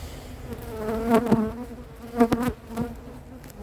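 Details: Western honey bees buzz past in close flights, a low droning hum that swells and bends as each passes, while circling and sizing up the beekeeper without attacking, after a large swarm is collected into a cardboard box at Varennes-sur-Seine.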